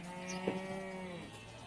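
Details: Cattle at the Bumiayu livestock market (Pasar Wage Bumiayu), Indonesia: one short, low, harmonic moo lasting about a second, with a brief sharper sound near its start and a steady murmur of market background around it.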